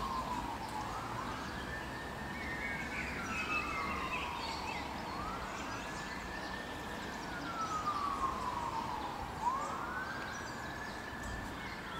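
A wailing emergency siren rises and falls every four to five seconds over steady traffic hum, with no animal calls heard.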